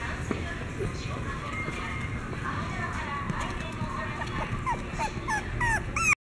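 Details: Toy Poodle whining indoors, a run of high, bending squeals that rise and fall, growing quicker toward the end, with human voices talking steadily underneath and a low background rumble throughout.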